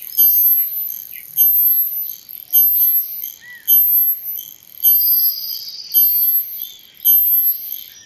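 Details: A male cicada, sounding by flexing its tymbal membranes, gives high, hissing buzzes in short bursts, repeating about once a second.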